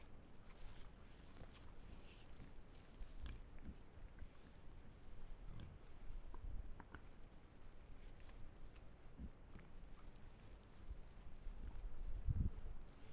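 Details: Pack of wild boars in Estonia, captured by a trail camera: faint, low, scattered grunts and snuffles among rustling movement, with a louder thump close to the end.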